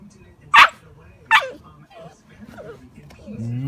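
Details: Alaskan malamute puppy letting out two sharp, loud yips less than a second apart, then soft wavering murmurs and a low steady drawn-out tone at the end.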